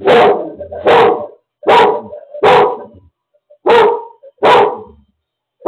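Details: Lola, a seizure alert dog, barks at home while her owner has a seizure with no one else present: loud, harsh barks in quick bursts, about seven in under six seconds, some paired closely, with short pauses between.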